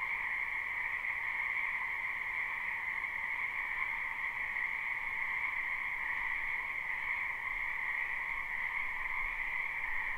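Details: Numerous frogs croak together in a spring wetland, recorded live with no looping, producing a continuous dense drone of high trilling and lower humming voices, unchanging in intensity, no other sounds stand out.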